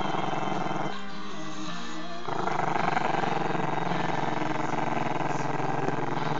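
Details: Long, low growl from Chester, a Maltese-Shih Tzu pup who dislikes being filmed. The rumble is sustained and pulsing, eases briefly, then swells louder and rougher, continuing to the end, with another sound in the background.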